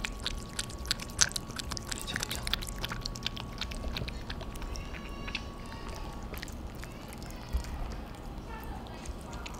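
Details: Two cats, Theo and Thea, eating dinner noisily: a run of sharp, wet smacking and lapping clicks at an uneven pace, with a soft human voice in the background.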